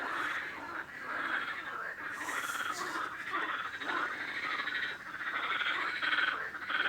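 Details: Frogs croaking in a dense, continuous chorus of raspy, pulsed calls centred in the mid range, overlapping without pause, with a brief brighter hiss near the two-second mark.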